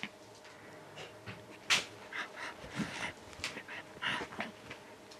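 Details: Chihuahua and miniature pinscher mix dog indoors in Finland, panting rapidly in quick breathy bursts with a few soft whimpering sounds, brief clicks and rustles around it.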